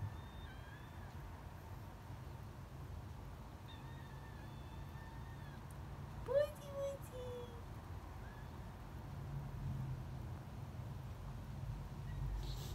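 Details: Female kitten coming over to greet and talk to a person: a few faint, drawn-out mews, then one louder, clear meow in the middle that slides slightly downward, over a steady low background hum.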